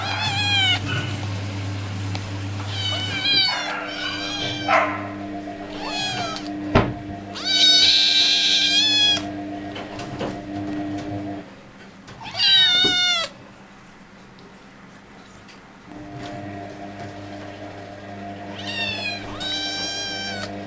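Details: Hungry tigers at feeding time give loud, drawn-out, mewing cries that rise and fall, repeated in bursts over a steady mechanical hum.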